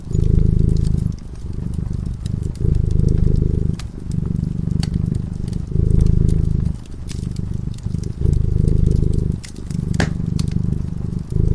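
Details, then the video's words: Sleeping cat dozing by a cozy fireside, purring steadily; the low vibrating drone rises for roughly a second, dips briefly, and returns in a regular breathing cycle while burning logs snap and crackle. "Purring cat"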